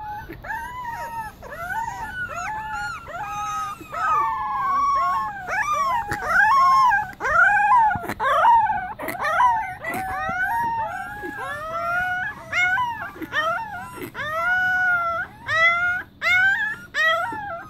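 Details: Pembroke Welsh Corgi puppies howling together in a chorus, overlapping wavering whines and rising-falling howls with yips, several voices singing at once.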